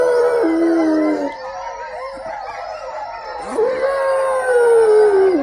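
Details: Dog giving a sustained, mournful howl: a long held note drops to a lower pitch, pauses briefly, then swells again into a steady, gently falling wail lasting several seconds, with a hiss of background noise throughout.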